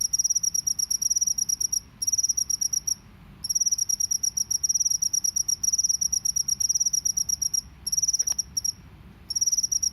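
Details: Field cricket (jangkrik sawah) in a natural setting, sustained "ngebren" style calling: rapid, high, shrill pulsed trills in long bursts broken by brief pauses, steady and continuous, with a faint low background hum.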